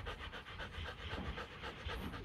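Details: Quick, steady panting from Kute Gervi, a 15-month-old female Rottweiler being checked for her heat cycle: breathy bursts about four per second, even and unbroken throughout.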